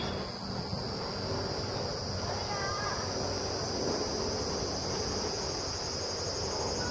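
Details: A large brown cicada sings in a Tokyo park zelkova tree on 15 October 2012 around 2:44pm, a clear, sunny 26-degree day, giving a steady, sizzling drone like oil frying over low background rumble.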